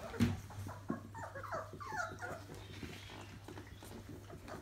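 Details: Labrador Retriever litter at 28 days old, squirming in a heap: a quick run of short whiny yelps and squeaks rises and falls over a steady low hum, with a brief thud at the start.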